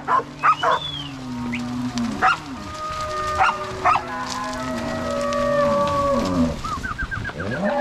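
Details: Crossbred Angus-Nelore cattle herded from corral to pasture by three cowboys with six dogs at a farm in Ortigueira, Paraná, Brazil, 16/03/2022; long steady moos and rising, falling lows, several barks early and a rapid run of short yips late.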